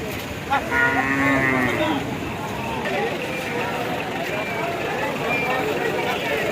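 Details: Cow just bought at Gabtoli cattle market for Eid al-Adha sacrifice, giving one low, drawn-out moo near the start, then a steady background of people talking and traffic in an outdoor urban market.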